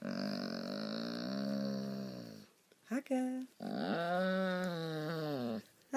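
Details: A rescued German Shorthaired Pointer that loves to 'talk' gives long, drawn-out, moaning whines with a brief yelp between them.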